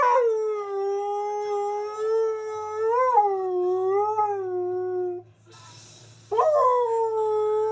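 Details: Key, a pet Husky/Malamute, singing along to a favourite TV advert: a long tonal howl holding steady, wavering and rising around three seconds, then a short break before a fresh howl begins.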